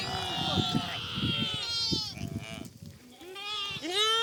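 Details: Lambs bleating while running, wavering harmonic calls layered over steady human talking and low rumble, with a clear rising bleat at the end.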